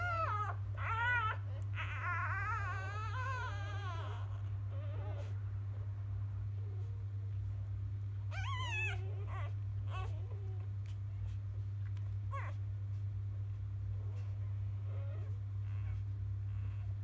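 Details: Field-line Labrador Retriever newborn puppies, litter of 2017 JFA grand champion biscuit, after morning nursing: a couple of high wavering whimpers early and near the middle, then scattered faint squeaks and clicks over a constant low hum.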